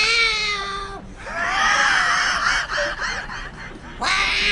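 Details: Cats in a fight give a drawn-out yowl that breaks into a wavering, higher-pitched moaning wail, rising and falling in pitch, before the steady yowl returns at the end.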